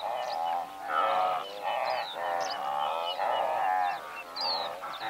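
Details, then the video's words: Blue wildebeest in a herd of several hundred, recorded from medium close range: overlapping nasal, honking calls that swell and fade every second or so, with thin chirps of singing larks above. "Blue Wildebeest / MCU Calls From A Herd Of Several Hundred"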